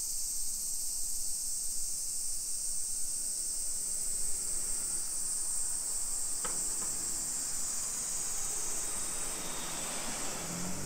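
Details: Cicadas in summer on a suburban Nagoya hillside, Nisshin, Japan, 28 July 2021 at 1 PM; the high steady hiss continues beneath louder low street noise, a sharp click midway and a rising engine-like sound near the end.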